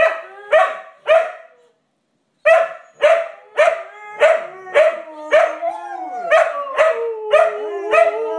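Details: Siberian Huskies giving rapid repeated yelping barks, nearly two per second after a short pause, with a longer wavering howl sliding underneath toward the end.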